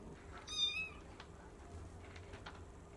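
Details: Bengal cat, one of two cats named Shelly and Arthur, on the third day after they first met, gives a single short high meow lasting about half a second, followed by soft knocks and faint background hum.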